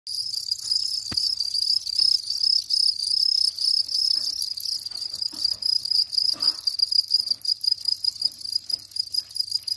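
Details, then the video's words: House cricket song: a steady, dense run of high, shrill chirping pulses on one ringing pitch with a faint overtone above, nearly unbroken, over a low steady hum and a few soft knocks. "Ev Cırcırı Bahçe Cırcır böceği Gryllus"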